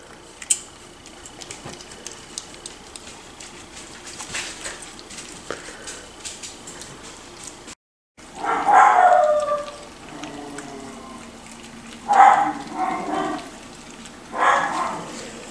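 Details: Five- to six-week-old Miniature Schnauzer puppies gathered at the feeding bowl: a quiet stretch of faint clicks and rustles, then bursts of harmonic whining yelps and squeals, with a woman's voice nearby.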